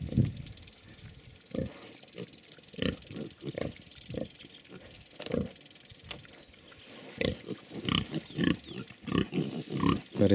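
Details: Hungarian Mangalica sow with her suckling piglets, giving short, low, thudding grunts in uneven bursts, roughly fifteen over ten seconds and closer together toward the end, against a quiet farm background.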